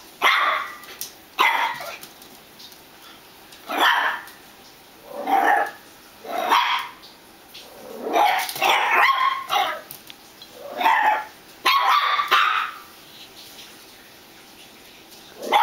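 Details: Pet dog barking at a hot dog squeaky toy, sharp barks in bursts of one to three, about a dozen across the stretch, with quiet gaps between.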